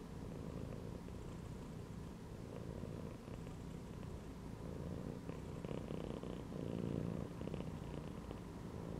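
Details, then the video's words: Domestic cat lying relaxed inside a gym belt, purring steadily: a continuous low, rough rumble with a soft rhythmic pulse that runs unbroken throughout, quiet and close, with no other clear sounds. "CAT CHILLING PURRING AND MEOWING INSIDE THE GYM BELT"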